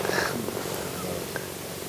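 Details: A cheetah in Zambia, near Livingston, purrs steadily while being stroked, a low rumbling drone like a large house cat; the purring means it feels very relaxed and content.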